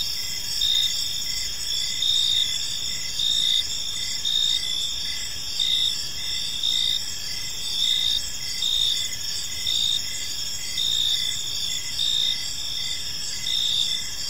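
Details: Evening cricket chorus in a peaceful park, high continuous shrill trilling with loudness rising and falling in regular pulses about once a second, many insects calling together over a faint low hum.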